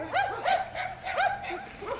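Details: A Serbian defence dog named Jana and a Dogo Argentino named Cezar give short, rising yelping barks, about four in two seconds.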